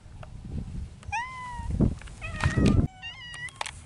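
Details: Feral mountain cats in spring, engaged in courtship: drawn-out, wavering meows that fall in pitch, one around 1 second and a longer pair near 2.2 to 3.6 seconds, over low rumbling background noise and thumps.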